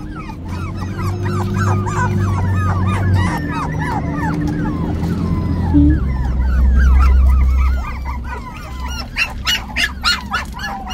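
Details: Five-week-old puppy Hailey yips and whimpers in rapid, uneven bursts of high arched squeaks, about three or four per second, over a steady low mechanical hum that swells midway, with sharp clicks near the end.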